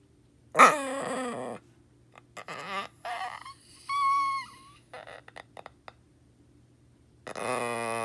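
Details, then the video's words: Pet dog making creaky, door-like whines: a loud wavering cry at the start, softer squeaky sounds and a thin high whistle in the middle, then another drawn-out harmonic whine at the end. The room is otherwise quiet. "Moxie Sounds Like A Creaky Door"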